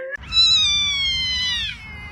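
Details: During a cat fight, a cat gives a long drawn-out yowl lasting about one and a half seconds. It stays steady and tonal, then bends slightly downward at the end over a faint low rumble.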